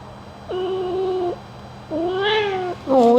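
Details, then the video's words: A pet cat meows during a gentle ear-cleaning grooming session: two long, level, harmonic meows about a second each, separated by a pause, with a third rising meow beginning at the end. Faint steady hum in the background. "Cat Ear Cleaning ASMR Grooming"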